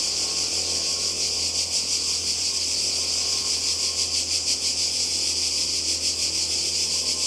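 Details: Cicadas calling by the sea in Croatia in summer 2020: a dense, unbroken high-pitched buzzing chorus with a fast shimmering pulse, steady in loudness throughout, with no other clear sounds.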